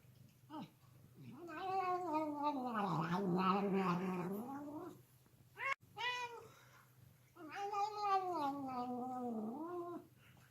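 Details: Domestic cat making long, wavering yowls: a drawn-out moaning cry rising and falling over about four seconds, a short break, then a second sustained howl that dips low before fading, with a faint steady hum beneath.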